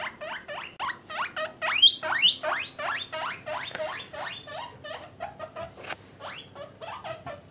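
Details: Pet guinea pigs, a parent and offspring housed in separate cages by sex, give a long run of sharp rising squeaks, roughly two or three per second, loud and piercing, with a faint hum behind.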